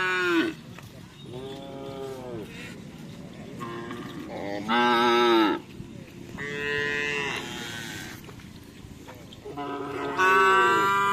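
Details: Madura karapan sapi racing cattle lowing repeatedly: loud, drawn-out harmonic moos, each one to two seconds long, four or five across the stretch, with quieter bleating-like calls between and a noisy rural background.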